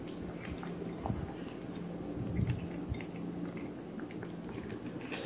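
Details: Three-month-old male Maine Coon Persian mix kitten eating indoors: soft wet smacks and small chewing clicks come irregularly, a few louder bites stand out, and a steady low hum runs underneath.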